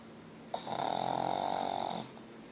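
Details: Pug Ozzy asleep and snoring hard, a single long raspy inhalation of over a second with a steady whistling hum and hissy overtones, starting with a small snort-like click, in a quiet room.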